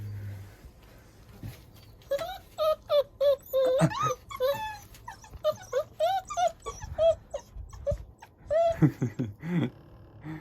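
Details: German Shorthaired Pointer puppies born 15 January 2022, kept as household dogs in Korea, whimpering and yelping in a rapid run of short, high, wavering whines that rise and fall, with a few deeper low sounds between them.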